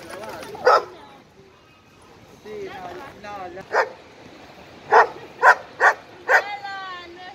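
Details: At a dog park, an 11-month-old Irish Wolfhound and an Italian Mastiff play together. Scattered loud barks come singly, then in a quick run of four near the end, with a person talking in between.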